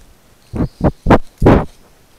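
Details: Tibetan stump-tailed macaques in a reserve in Sichuan, China, animals living in mixed groups; four short, harsh, broadband barking calls in quick succession over about a second, growing louder, against a quiet background.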